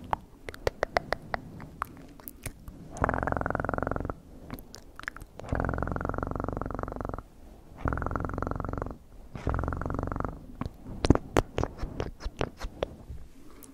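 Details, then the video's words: Close-up ASMR purring of a house cat: three distinct bouts of deep, evenly pulsed rumbling, each lasting one to two seconds, separated by quiet gaps filled with light clicks and rustles. "Best PURRING sounds"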